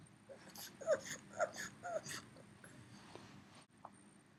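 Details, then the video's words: Three-year-old male pug Yoda, staying home and missing his dog companion who went running, whimpers insistently indoors: a quick series of high, pinched, nasal whines, about three bursts per second, then quieter snuffles. "Funny Pug Noises"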